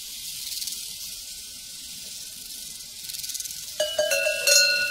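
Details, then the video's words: Prairie crickets keep up a high, shimmering chirping chorus with rhythmic pulses, then metallic cowbell clanks ring out loudly near the end. "Sounds from a Prairie Crickets and Cowbells"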